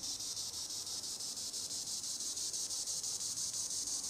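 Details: Green annual cicada, Tibicen linnei, singing in the treetops: a dense, high, steady buzz with a soft rhythmic throb about three times a second, unbroken throughout.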